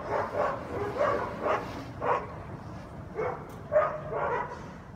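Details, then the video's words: Guard dogs barking nonstop at 7am on a Sunday on Conti St., New Orleans, loud enough to wake neighbours; muffled, distant barks come in bursts about every half second to second, over a low background hum. "Guard Dogs Barking Noise Violation"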